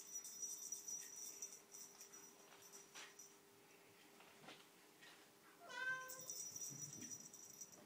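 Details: A polydactyl Maine Coon cat gives a single clear, tonal meow near the end, over a faint steady hum.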